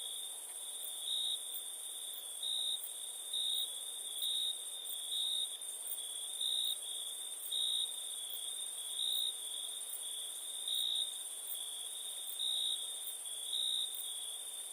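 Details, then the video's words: Crickets chirping after dark, a constant shrill tone swelling into short louder pulses at a fairly regular pace, topped by a faint rapid ticking higher up; nothing else disturbs the quiet night. "Night ambience cricket sounds"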